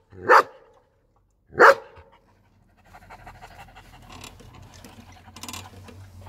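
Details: A German Shepherd gives two deep, sharp barks about a second apart, followed by soft breathy sounds.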